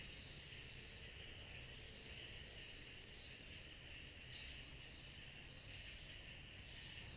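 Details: Summer-night cicada chorus, a continuous high, buzzy hiss that beats quickly and evenly, layered over a quieter lower whir, with a constant low background rumble.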